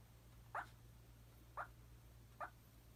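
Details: Three short, soft whimpering squeaks from a sleeping Papillon puppy, spaced roughly a second apart, against a quiet room hum.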